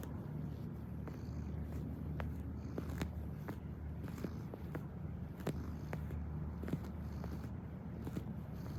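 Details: Kneading house cat gives a continuous low purr, an even throbbing rumble throughout, with scattered small clicks and taps from movement nearby.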